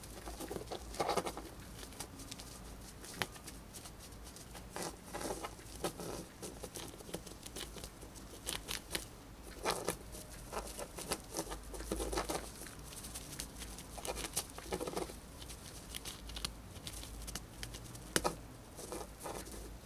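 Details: A female pet hamster eats dried corn fast. Her nibbling comes as a steady run of sharp, dry crunches and clicks, clustered in short flurries with brief pauses between, over quiet room hiss.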